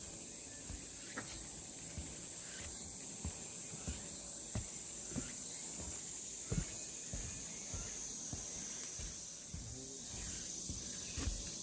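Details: Namwon's Deogeumsan Solbaram-gil trail on 16 August 2019, cicadas keeping up a bright, unbroken shrill whine with rhythmic rises roughly every second, while footsteps tap steadily on the path.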